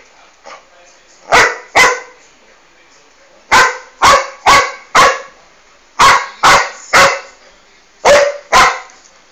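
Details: Boxer barking while confronting a calango lizard in the Brazilian cerrado: loud, sharp barks mostly in pairs, with several short bursts spaced over the clip and quiet pauses between.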